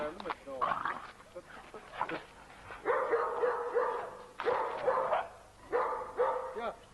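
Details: Playing Turkmen Alabai puppies give bursts of high, rapid yelping barks in three clusters, each about a second long, with voices talking in the background.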